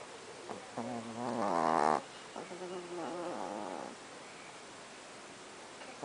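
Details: Chihuahuas kept as pets snore in their sleep at night: a rising, buzzy rasp ending abruptly, then a longer, softer droning snore, followed by near silence.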